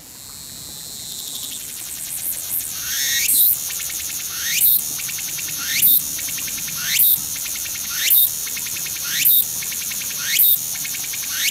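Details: Tsukutsuku-boshi cicada singing close by near a railway in Shizuoka, Japan, on 3 September 2017. After a rising onset, a dense high buzz carries sharp upward-sweeping phrases, repeated about once a second in a steady rhythm.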